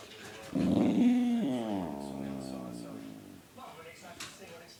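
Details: Dog hyped up on sugar after stealing a belVita, letting out a long drawn-out moaning vocalisation that starts strong and slowly falls in pitch and fades, with faint music behind.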